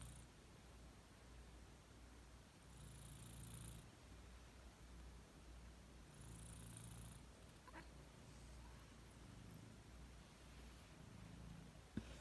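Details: Dori the cat snoring or breathing heavily: a deep, throaty drone rising and falling in slow waves. Soft hissing exhalations come every few seconds, with a sharp tap near the end.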